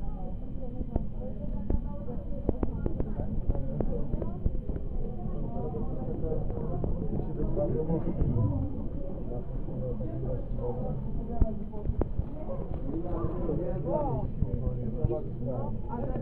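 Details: Many South African fur seals (Arctocephalus pusillus pusillus) bleating and groaning at once, a dense chorus of short wavering cries over continuous deep background rumble, with scattered sharp knocks.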